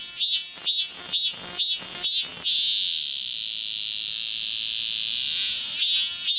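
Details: Cicada song captured with a Galaxy S24 Ultra phone. Five or six quick, piercing buzzy throbs lead into a long, even, high-pitched drone, and a new throb breaks in near the end.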